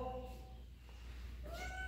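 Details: House cat investigating the living-room rug: a short tonal meow that rises near the end, over a strong steady low hum.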